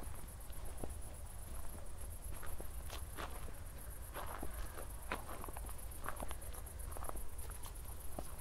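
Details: Night chorus of crickets after a recent thunderstorm near Zwettl, Austria: a continuous high-pitched pulsing shimmer beneath crunchy walking footsteps and a deep background hum.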